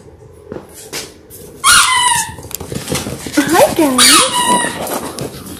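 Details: Six-week-old Labrador Retriever puppies from a litter of six born January 18, 2022, filmed indoors on February 28: a sharp falling squeal, then wavering, bending whines with rich overtones, mixed with human talk in a small room.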